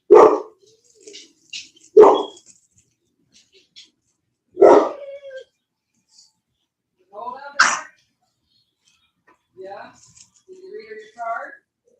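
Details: Cane Corso (Italian Mastiff) from a breeding kennel an hour west of Nashville, Tennessee, giving single deep barks about every two to three seconds, followed by softer, wavering, voice-like whines and murmurs.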